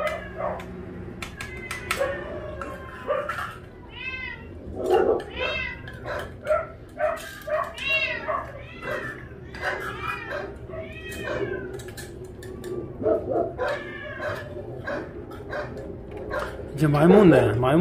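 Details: Several shelter cats at Ulsan Naraeul Center, newly housed together and given fish on a weekend volunteer day, meowing repeatedly: a run of arched, harmonic meows about every second, with clicks, faint voices and a louder cry at the end.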